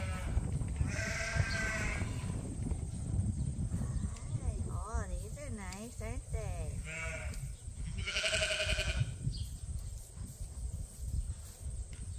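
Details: A farm ram, Leonard, calls out in the barn during a quiet day of chores at Ewetopia Farms. Two quavering bleats frame a stretch of a person talking in a wavering voice, over steady low barn noise.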